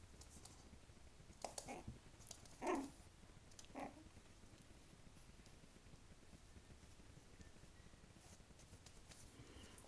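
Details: Yorkshire terrier puppy named Gyömbér, playing for the first time in its new home indoors: a short harmonic growling burst near the middle, then a briefer, quieter one about a second later, amid light tapping and shuffling.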